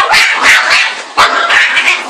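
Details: Playing Pug and Boston Terrier mixed-breed dog: a quick run of rough, breathy, growling barks, harsh and noisy rather than tonal, in close succession with one sharper bark in the middle.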